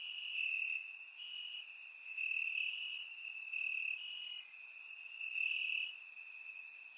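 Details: Crickets chirping in grass on a warm summer night in Bulgaria, recorded with a surround microphone: a steady high trill overlaid by brighter, sharper pulses from other crickets, with no other sounds.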